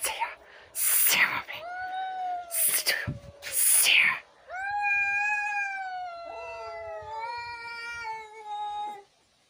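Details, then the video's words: Fighting domestic cats: bursts of harsh hissing at first, then drawn-out wavering yowls, with two voices overlapping in the second half as one howl drops lower beneath the other. "Драка котов"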